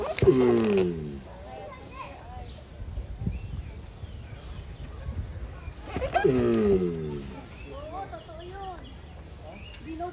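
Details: Two harsh, downward-sliding groans from mating giant tortoises, about six seconds apart, each beginning with a rasping burst, with faint chirps and voices in the background between them.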